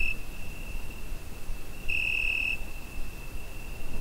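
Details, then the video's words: A cricket on a summer night, picked up by a Zoom H5, keeps a constant shrill high note, with one loud sustained pulse of over half a second midway and the tail of another at the very start. "Summer Night Cricket Sound Effect"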